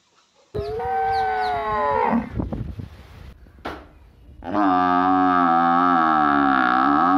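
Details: A water buffalo in a village gives two long, rich moos, the second one steady and drawn out.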